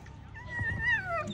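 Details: A 12-18 month female American Pit Bull Terrier at a dog show gives a single drawn-out high whine, rising slightly then falling away, over a low indoor background hum.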